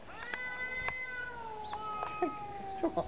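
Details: Cat fight: drawn-out wavering yowls sliding slowly downward, with short sharp cries near the end and people talking in Dutch alongside.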